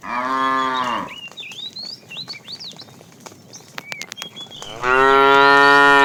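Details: A fat cow calls the female while a tame herd is herded in the afternoon. A strong, steady harmonic moo opens, then a pause filled with twittering birds, then a second loud moo at the end.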